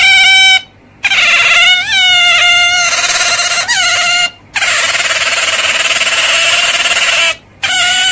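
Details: Otter giving continuous high, harmonic squealing calls, steady tones with brief upward bends, broken by short silent gaps every few seconds; no other sounds are heard.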